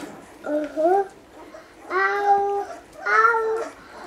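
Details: Basset Hound puppies about one week old give three drawn-out, squeaky whines with bending pitch.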